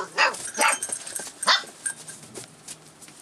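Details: A 44-day-old Rough Collie puppy, filmed on 25 February 2012, reacting to changes around it. Three sharp, high barks come in quick succession near the start, then softer scattered yips fade out over a light background hiss.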